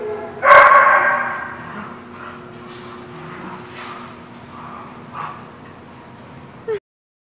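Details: A dog at The Barking Lot, recorded 27 January 2017, gives one loud harmonic bark near the start, followed by fainter distant barks and yips against a constant low hum, ending in a short sharp sound before silence.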